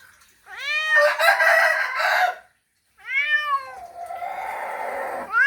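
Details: Male domestic cat giving a mating call to a female: two long, drawn-out meows, the first rising and breaking into a rough, harsh yowl, the second bending up and down before trailing into a grating, buzzy tone.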